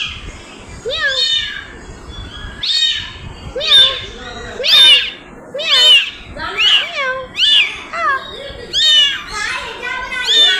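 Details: Cat, a mother carrying her kitten in her mouth; high, thin mews that bend up and down in pitch repeat roughly once a second, each short and clear, with faint background chatter.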